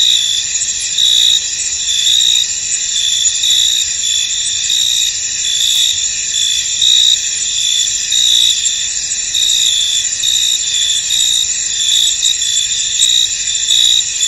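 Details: Crickets in a misty, foggy field: a dense, steady high-pitched chorus of overlapping trills, with a brighter pulsing chirp that swells and fades roughly every second above the constant shimmering drone.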